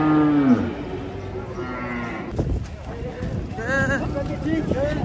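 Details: Cattle being loaded onto a truck in Indonesia: a strong low moo opens, its tone sliding downward, followed by further shorter lowing and rising harmonic calls amid a busy noisy background.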